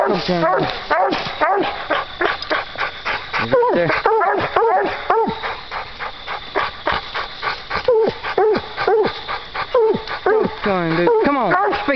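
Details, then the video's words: Coon hounds Duke and JR baying at a raccoon they treed on a night coon hunt; fast, repeated arching barks, roughly two per second, while a man urges the dogs to speak to it. "Duke And JR Treed Coon Hunting"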